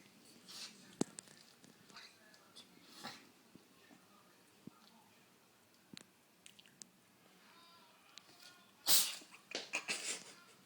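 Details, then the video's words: Domestic cat sneezing indoors in a small room: a sharp, hissing burst of breath near the end, followed by a few smaller snuffly bursts, with soft clicks and faint rustling before it. "Catty Sneezing Twice"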